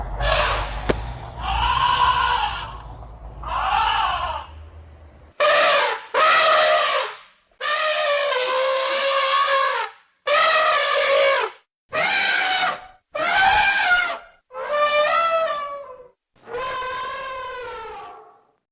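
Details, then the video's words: Elephant calls in a series of loud, harmonic trumpeting blasts, about eight bursts each lasting around a second with short gaps, rich and brassy with a wavering pitch; a softer, lower-pitched opening section precedes them. "CRI DE L'ELEPHANT"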